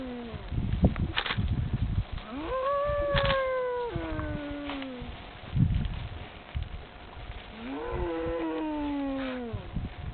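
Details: Cattle somewhere in France responding to a man calling them; two drawn-out moos, the first rising then sliding down, the second arching later, with thumps and background noise between.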